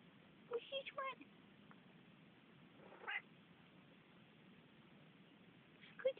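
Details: Talking Manx cat at home, giving short chirpy meows with rising and falling pitch, two near the start and one at the end, while a woman speaks softly to it between calls.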